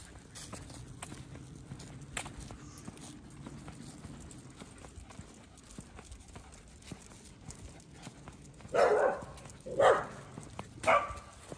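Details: Staffordshire Bull Terrier puppy, Shaq, on his first big day socialising with many large dogs at a dog park; after quiet rustling, three loud, rough barks come about a second apart near the end.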